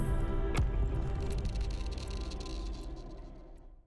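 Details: No animal is heard, only dense, bass-heavy music with a sharp hit early on, slowly fading toward the end.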